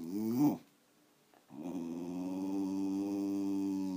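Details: Elderly female Wire Fox Terrier, thirteen years old and still energetic, gives a short voiced rumble, falls silent for about a second, then holds a steady, droning growl for roughly two and a half seconds.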